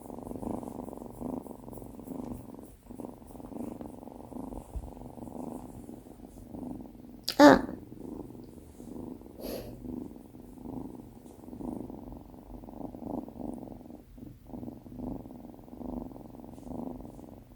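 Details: Female Tonkinese kitten Binwoo purring while cuddling on her first day in a new home; steady low rumble throughout, broken by a sharp knock at the midpoint and faint rustling.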